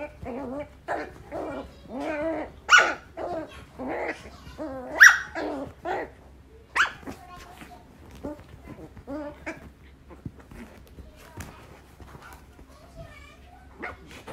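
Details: Shetland Sheepdog barking while digging: irregular barks and yelps mixed with grumbling growls and scuffling, loud peaks around the middle, fading to scattered sounds.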